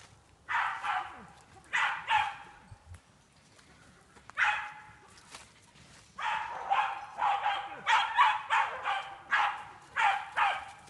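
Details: Jagdterrier barking during training on wild boar in an enclosure: short sharp barks in bursts, single at first, then a rapid run of repeated barks about twice a second toward the end.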